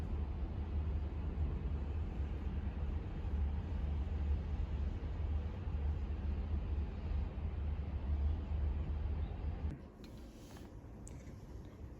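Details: Continuous low traffic-like rumble fills most of the recording, then drops away near the end, leaving quieter room tone with a couple of light clicks; no animal sound.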